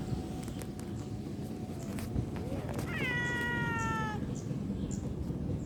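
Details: A cute kitten in play utters one clear, long meow that rises briefly, then holds and falls slowly, heard over a noisy, rumbling background with faint clicks.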